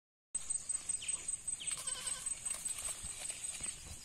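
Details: Goat raised at home for income; short, wavering bleats with stacked harmonics, one rising sharply in pitch, repeated several times over a steady high electronic whine.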